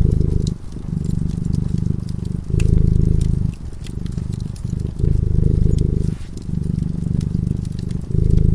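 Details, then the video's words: Sleeping cat by a cozy fireside gives a deep, continuous purr that rises and falls in long breath cycles of roughly a second and a half, while the flickering fire crackles and snaps lightly in the background. "Purring cat"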